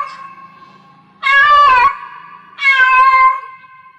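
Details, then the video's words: Cat in heat giving two loud, drawn-out harmonic meows, each sliding slightly downward and lasting about half a second, over a faint steady tonal hum in the background. "Cat Meow Cat in Heats Sounds"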